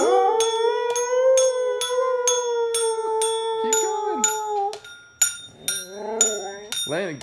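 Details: Pet husky howling along as two children play an instrument and sing: a long sustained wavering howl for about five seconds over regular instrument strikes, then shorter yelping howls and a child's voice.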